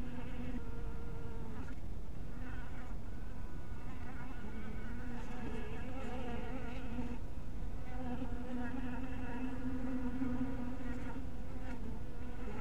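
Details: Honey bees flying at a bee cottage in dusk light, several overlapping buzzes that wobble in pitch and grow stronger in the second half, set against a steady low rumble.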